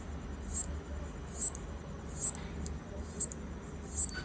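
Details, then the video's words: Locust clicking while trying to communicate with its partner, recorded on an iPhone: sharp high clicks repeat roughly every 0.7 seconds over a low steady background hum. "Clicking sound of Locust, trying to communicate with it’s partner"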